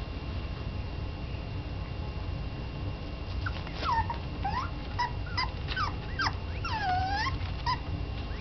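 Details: A little female Yorkshire terrier kept indoors while awaiting adoption gives a run of high, arching whimpers and whines in its second half, each rising then falling and repeated in quick succession over a low background hum.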